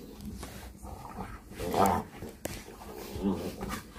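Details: An American Bully play-fighting on a bed indoors gives two short, harmonic growling grunts over steady scuffling and rustling of bedding.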